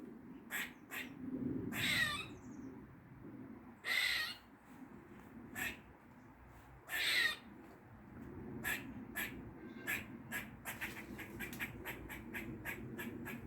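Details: Weird noises from a squirrel in a Dublin garden, forenoon, 16 August 2023: several loud, wheezy, scratchy calls a couple of seconds apart, then a quickening run of short dry clicks and chucks, with low background hum.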